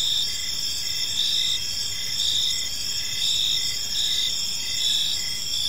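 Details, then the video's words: Evening chorus of crickets in a quiet park, a continuous piercing high trill with rhythmic pulsed chirps layered beneath, many callers blending into one even wall of sound. "Cricket Sounds in a Peaceful Park"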